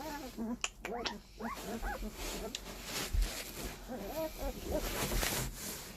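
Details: Puppies seventeen days old give short, thin, wavering whimpers and squeaks in quick bursts, some rising then falling, with a cluster early on and another near the end, between sharp clicks and soft handling noises.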